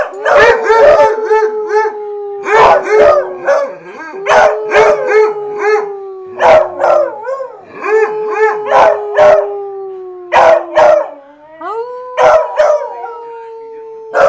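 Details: Excited hounds in full musical chorus, dense overlapping howls and rhythmic barks repeating about every second, long notes slowly sinking in pitch, one howl rising sharply near the end.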